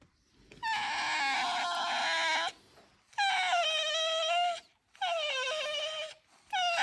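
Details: Pet red fox in a home, complaining while being brushed and groomed of shed fur; three long, strained, harmonic-rich whining cries of about two seconds each, slightly falling then steady, separated by short pauses.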